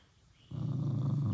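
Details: Jack Russell Terrier growling to protect his stuffed monkey indoors; a low rough rumbling growl starts abruptly after a short quiet moment and continues steadily to the end.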